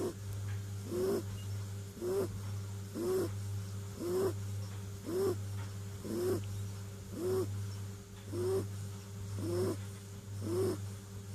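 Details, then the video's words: Kitten named Clint snoring while asleep, each breath a short wheezy rasp ending in a faint squeak, repeated very evenly roughly every 1.1 seconds, with a steady low hum in the room behind it. "Snoring kitten"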